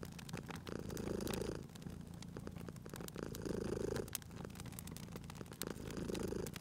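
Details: Domestic cat dozing by a fireplace purrs in a deep continuous rumble, swelling three times at regular breaths about two and a half seconds apart; bright crackling and popping of burning logs sounds over it.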